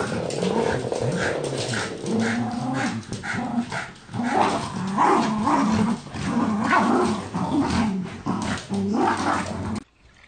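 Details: Jack Russell Terrier growling, rumbling bursts of low, buzzy growls repeated over about ten seconds with short gaps, set against a dense, busy background of other noise before the sound cuts off.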